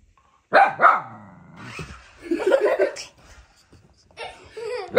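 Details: Young husky puppy Humphrey, unsure of a remote control car that baby Daisy wants, gives a pair of quick yelping barks, then more mixed with laughter and speech from people in an indoor room.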